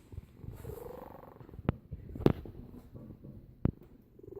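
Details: A sleeping cat snoring, low rough rumbling pulses with a slow irregular rhythm, broken by a few sharp clicks.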